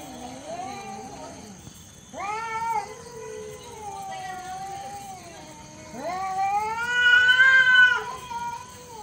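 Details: Neighborhood cats in a face-off before one submits; wavering moaning yowls, a low drawn growl-like wail followed by two rising, sliding cries, the last louder and longer, near eight seconds.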